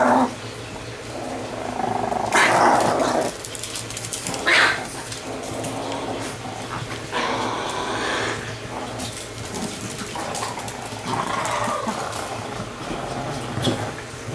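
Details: Chihuahua, one of two pets named Vanilla and Jack, indoors, mixing low rumbling growls with a few sharp louder yaps near the start and middle, then scattered quieter grumbles, with faint room noise and brief voices in the background.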